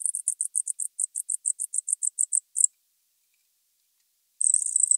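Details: Gryllodes sigillatus, the tropical house cricket, recorded 19 November 2021 in Starnberg, Germany: about sixteen evenly spaced high chirps over two and a half seconds, silence, then a continuous buzzy trill.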